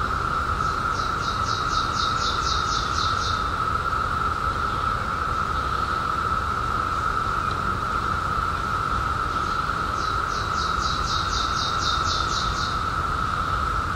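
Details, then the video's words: Constant droning cicada chorus with two clear runs of rapid, evenly spaced high pulses, about ten in each run, against a low rumbling background. "CICADAS 🌿 Sounds"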